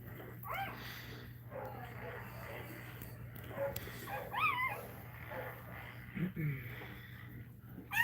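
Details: Cane Corso crying while another dog, Cashmere, is in labour indoors: short high whimpers that rise and fall, in scattered bursts over steady mains hum, with human speech mixed in.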